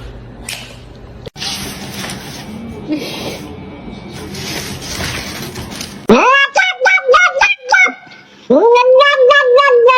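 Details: Domestic cat meows follow several seconds of talking and room noise: a quick run of short, clipped mews, a pause, then one longer, level, nasal meow.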